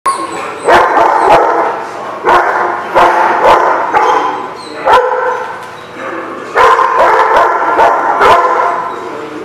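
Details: Several dogs barking at a place called the Barking Lot, recorded 13 May 2016; overlapping loud barks come in bursts and clusters, with sharp impacts between them and some voices mixed in.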